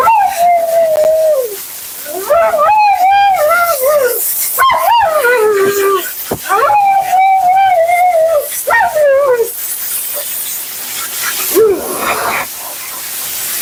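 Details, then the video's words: Mila, a Siberian Husky on her second-ever groom, keeps up nonstop commentary: long wavering howls and woo-woo phrases, some sliding downward, broken by short pauses and clicks, with water or dryer hiss in the background. "Talking Husky FURNADO Bath and Blowout"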